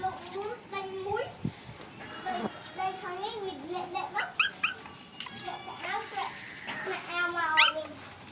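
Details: Puppies at play: a run of whiny, wavering yips and squeals, some rising sharply near the end, with overlapping voices and a steady low background hum.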